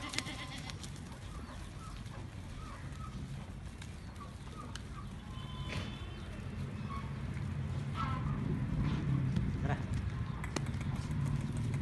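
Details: Goats at Altaf Goat Farm, raised for Eid, 2018; short wavering bleats rise over a steady low rumble of farm noise, with people talking nearby and sharp clatters now and then.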